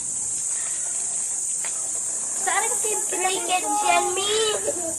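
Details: Cicadas calling in the morning at Caramoan on May 22, 2016, first mistaken for crickets, making their sound with special organs on the thorax; a shrill, steady, unbroken high buzz throughout, with people talking over it in the second half.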